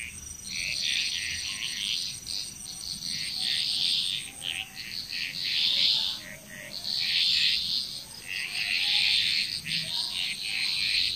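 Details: Frogs in Bali, Indonesia calling in bursts: loud clusters of rattling croaks about every two seconds, separated by brief lulls, with fainter lower notes and a steady high hum.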